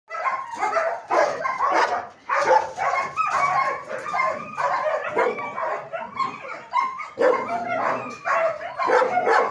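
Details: German Shepherds at a dog training academy, several dogs barking at once in dense overlapping volleys of sharp barks and yips, with brief lulls near two and six seconds.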